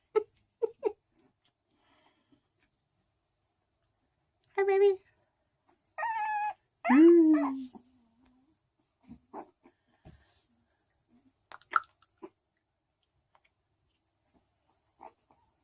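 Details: Thirteen-day-old Chow Chow puppies of a sixth litter at a small Swedish kennel whine in tonal, harmonic whimpers, three drawn-out cries in quick succession, between faint squeaks and a woman's quiet voice.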